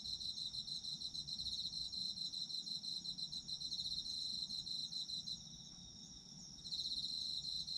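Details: Autumn insect chorus as relaxing sleep sound, high fast pulsed chirping over a constant ringing trill, dropping out briefly around five and a half seconds before resuming.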